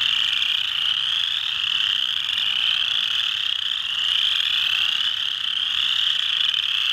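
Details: Mud Hen Marsh in Delaware County, Ohio, USA, 12 March 2020: chorus frogs (Pseudacris) fill the marsh with a continuous wall of overlapping high trills, each rising slightly in pitch, steady in loudness from start to end.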